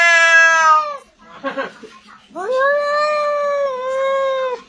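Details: Domestic cat giving strange, unusual meows: a long wailing meow that falls in pitch, a short rough break, then a second drawn-out, steady, slightly wavering yowl ending in a drop.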